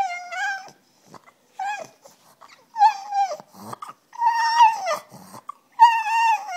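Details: Female French Bulldog begging for her bone at home, giving drawn-out whines that hold steady then drop at the end, about five bursts separated by brief pauses and faint breathy snorts.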